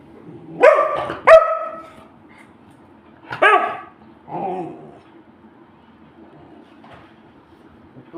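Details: Pet Labrador Retriever asking for food: four loud, whining barks in the first five seconds, two quick ones close together, then two more spaced a second apart, followed by quiet indoor room tone.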